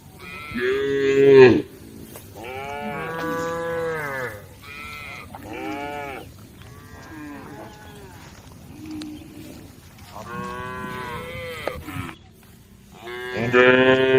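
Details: Group of tame female cows calling the herd, several moos in succession, some long and wavering, others shorter, overlapping at varying loudness, ending on a loud call.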